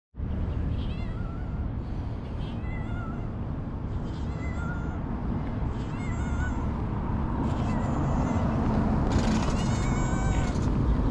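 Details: Homeless stray cats in Ras Al Khaimah, UAE, giving several short, thin, high meows spaced a second or so apart over a steady loud rumbling background noise.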